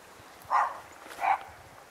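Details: A Dalmatian on a long leash out in the fields gives two short, mid-pitched barks about a second apart after hearing another dog.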